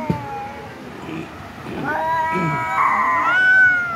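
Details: House cat meowing in short rising-and-falling cries, growing louder toward the end, with a steady drawn-out wail and some low murmuring sounds underneath.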